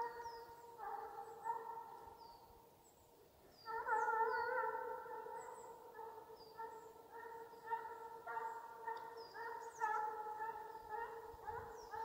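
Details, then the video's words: Russian hound baying in pursuit during a hunt in Ivanovo Oblast, Russia: long ringing tonal bays, a quieter lull near the start, then louder, prolonged bays with short breaks and occasional faint bird-like chirps above. "прощальная песня гона🎵русская гончая"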